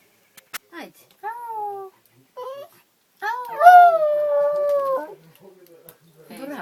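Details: Dog on a train singing when urged by its people: several short drawn-out howl notes that slide downward, then a longer howl of about two seconds bending slightly lower, with people talking between the notes.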